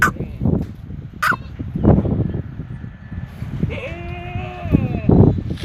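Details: Jamunapari goat on a goat farm in Madurai, giving a steady, drawn-out bleat of about a second with layered tones, set among farm thumps, rustling and bursts of human voices.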